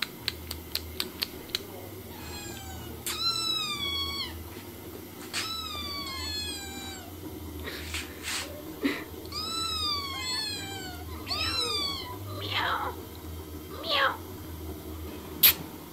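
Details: Domestic cats and kittens meowing, indoors: a run of quick clicks, then clear, high, arched meows, often in pairs or bursts, rising then falling, with short gaps and soft low room hum throughout.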